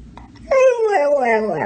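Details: Talkative dog answering its owner's questions about coyotes with a drawn-out, moaning howl-like vocalisation, about 1.2 seconds long, tonal and harmonic, sliding downward with a slight wavering lift near the end, indoors with quiet background.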